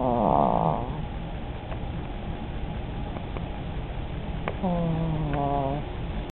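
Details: Sleeping old chihuahua named Starkey, dreaming: a short buzzy snore opens, then after faint clicks a longer, wobbling, nasal whistled snore follows.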